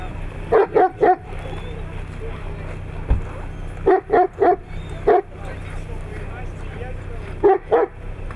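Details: Siberian Husky filmed in Nizhny Novgorod on 3 February 2017, uttering clusters of two or three short, clipped, yipping barks with rich harmonics, spaced by pauses of a few seconds, with a faint low hum and one sharp knock.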